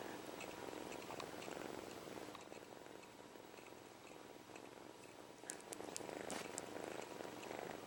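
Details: Young kitten, taken from its mother early, sucking its own paw while purring: a continuous low pulsing purr with a breathing rhythm, plus brief sharp clicks and rustles in the second half.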